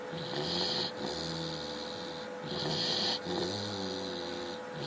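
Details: Chow Chow. A sleeping Chow Chow snores with rough, rasping breaths that come about every two seconds. Each breath carries a hissing, wheezy rattle over a low, steady hum in the background.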